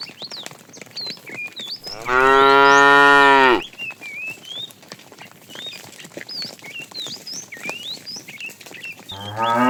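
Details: Fat tame cow calling the female while a herd is driven in the afternoon: one loud, steady harmonic moo of about two seconds, with many thin whistled bird chirps throughout and another moo starting at the end.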